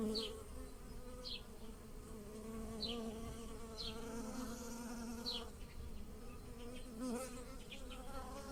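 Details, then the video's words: Garden bees pollinating blooming lilacs, buzzing in a constant wavering hum, while a bird repeats short descending chirps about once a second in the background. "The wonderful scent of lilacs and the buzzing of bees in the garden"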